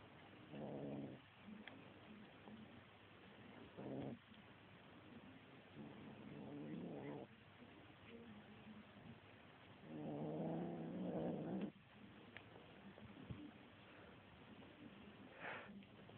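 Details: Little kitten getting mean on a feather toy, growling in four low, rough bursts lasting one to two seconds, separated by quieter pauses with light rustling and a soft background hum.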